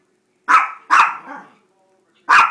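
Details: Gracie and JakeJake, two pet Chihuahuas begging for a treat, let out two close high barks followed by a short trailing whine, then after a pause one more sharp bark.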